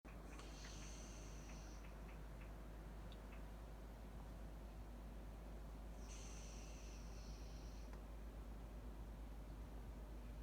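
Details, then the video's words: Blaize, a Labany puppy, asleep in a chair and snoring: two breathy, hissing snore sounds about six seconds apart, each lasting over a second, in a quiet room. "Snoring Labany Puppy Gets Surprised"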